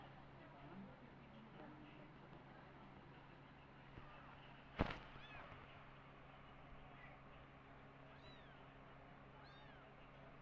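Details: Mother cat that lost her own kittens, now nursing adopted orphan kittens with milk; several thin, high, arching mews in the second half, set over a steady low hum and one sharp click near the middle.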